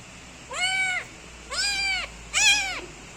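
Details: Young kitten meowing loudly while kneading its owner: three clear, high-pitched meows, each rising then falling, spaced about a second apart, with the last one loudest, over quiet background hum.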